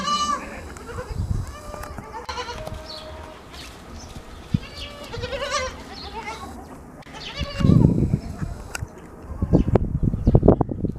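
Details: Goat kids drinking their mother's milk in the morning bleat repeatedly in wavering, nasal cries, with low rustling and knocking throughout.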